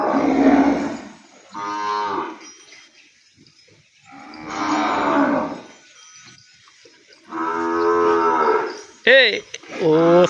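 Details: Penned calf crying for its mother after being separated from her: four long, wavering moos with quiet gaps of a second or two between them, ending in a sharp, cracking bleat.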